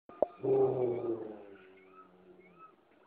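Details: Basset hound chasing another dog off its couch, defending its spot: one deep, drawn-out baying bark lasting about a second, rich in harmonics and fading into a low grumble.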